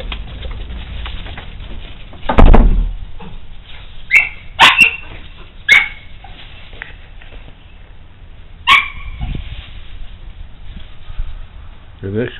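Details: Pet dogs indoors in winter, recorded February 1, 2010: a few sharp yips and short barks burst out at irregular intervals, some with a whimpering edge, over a low room hum, ending in a rising whine.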